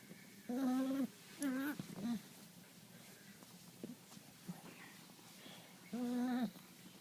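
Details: Dog producing funny vocal noises: three sustained, even, nasal whining tones and one short squeak, with the last long note after a quiet pause of several seconds and faint room noise between.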